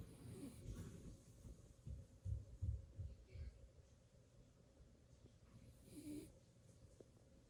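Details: JoJo, a blue Beagle puppy, naps and snores: low, rough, raspy snorts come in a cluster of bursts in the middle, then ease into softer, quieter breathing over a faint steady room hum.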